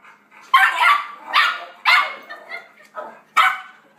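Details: A 4-month-old Yorkshire Terrier puppy barks wildly at other dogs heard from a computer indoors; five shrill, yappy barks come in quick succession, each short and bright with a slight tonal ring.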